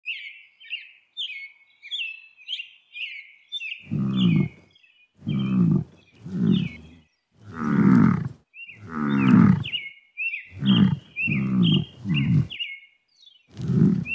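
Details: Water buffalo (Bubalus bubalis), call.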